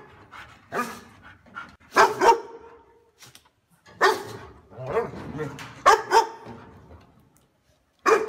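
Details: A dog barks loud and clear, as if defending its home. Scattered deep barks come in small clusters with uneven pauses and quieter rustling between them, and a final abrupt bark.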